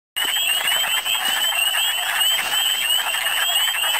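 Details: Wood frogs calling in big numbers in spring in Michigan: a dense, continuous mass of rapid clucking croaks, overlaid by steady high rising whistled peeps from other frogs throughout.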